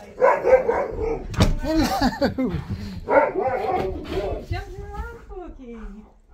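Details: Excited husky makes wavering, yodel-like whines that bend up and down in pitch. They come in short bursts, and a person's voice talks over and between them.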